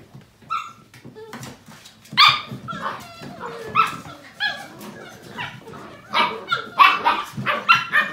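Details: Seven-week-old Portuguese Water Dog puppies of a litter playing together; high yappy barks and squeals with clear harmonic whines, irregular bursts growing busier toward the end, indoors.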